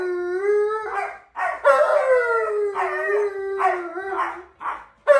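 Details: Male Alaskan Malamute, a household pet, howls back at an Alexa device as if showing a wolf's howl: a level tone, then gargling, talkative warbles, and a longer falling howl broken into short vocal bursts.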